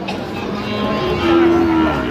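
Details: Sahiwal bull calves at a cattle market, where a farmer from Cumilla buys them, 3 January 2026: one short, level low moo lasting about half a second, amid traders' voices and market chatter.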